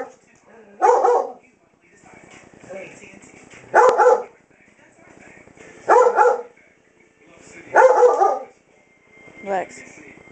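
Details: Seven-year-old female German Shepherd Dog named Lexy, going blind, barking indoors at night at a wall clock she seems to mistake for a face; five loud single barks spaced about two seconds apart, with a person speaking between them.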